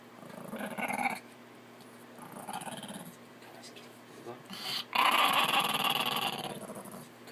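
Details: An angry Chihuahua in a laundry basket growls in low, rasping bursts, the loudest and longest near the end, while a person speaks to it, urging it to go outside.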